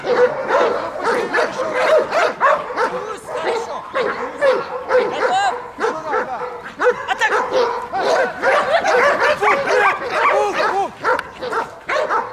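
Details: German Shepherd undergoing guard and protection training in Odesa, Ukraine, together with Belgian Malinois; loud, nearly nonstop barking, the barks ragged and closely packed, some with a yelping arched tone, with occasional voices beneath.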